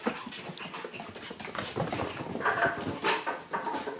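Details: Playful two-month-old Shiba Inu puppies indoors, giving brief whiny yelps and panting-like huffs at an uneven rapid pace, with rustling and thumps of movement around them.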